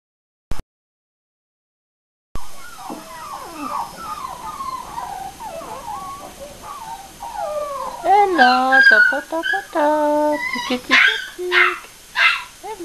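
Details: American Cocker Spaniel puppies at a breeding kennel in Aquitaine, France: a chorus of thin, high whining whimpers rising and falling, growing louder and denser toward the end, with a few words spoken nearby.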